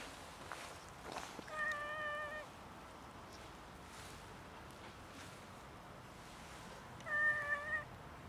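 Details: Cats in a mating chase where a male follows a female and she refuses; two flat, drawn-out meows about five seconds apart, each under a second long, over faint background hiss.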